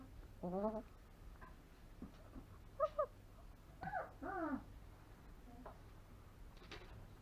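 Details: A 3-week-old longhaired German Shepherd puppy indoors utters several wavering, squeaky whimpers with rising and falling pitch, some doubled, spread over several seconds, with a few soft human sounds between them.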